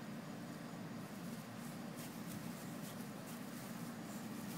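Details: Steady low indoor hum and hiss with a few faint clicks, and no animal voice heard.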